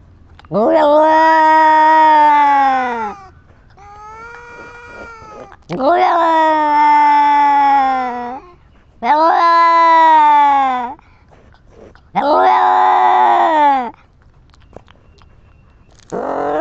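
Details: Female domestic cat reacting after scratching someone, giving long drawn-out wailing meows of about two seconds each, five strong calls with rising then falling pitch, separated by quieter pauses and a softer call indoors.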